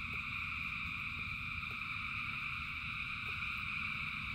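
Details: Thousands of frogs singing in rain: a dense, unbroken chorus of steady high trilling bands layered over a low rumble of rainfall, with occasional faint drip-like clicks.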